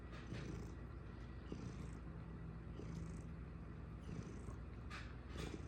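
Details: Purring house cat, a dense low rumbling drone that pulses evenly throughout, with a faint steady tone in the background and soft higher hiss at moments.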